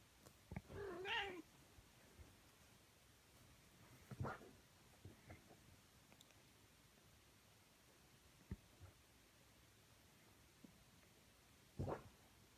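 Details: Cats in a fight: a harsh, wavering yowl near the start, then scattered short bursts and clicks over a steady noisy background.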